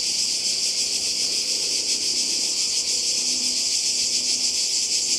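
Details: Cicadas by the sea in Croatia in summer 2020, a dense unbroken buzzing hiss held high and steady throughout, with faint low murmurs beneath.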